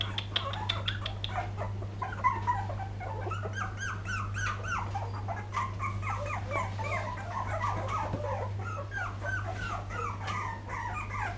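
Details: Poodle puppies filmed in 2012 keep up a busy stream of thin, quavering whimpers and yips, many voices overlapping without pause against a persistent low-pitched hum.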